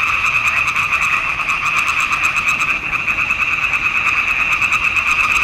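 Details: Swamp pond frogs in full chorus in June 2021, captured with a Nikon D780. Loud, fast, rattling croaks pile up into a dense, continuous trill, with a brief dip in intensity near the middle.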